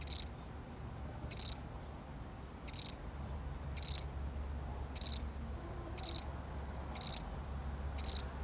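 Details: Lone cricket chirping steadily in a real recording: eight sharp, high, pulsed chirps repeated about once a second, clear above a quiet, low-humming background.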